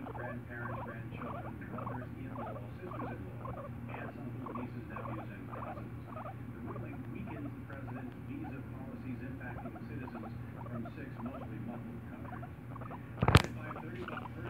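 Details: Guinea pig kept as a pet, resting on its owner's shoulder and uttering continuous rhythmic squeaky chirps, roughly two to three per second, above a low hum, with one sharp knock near the end.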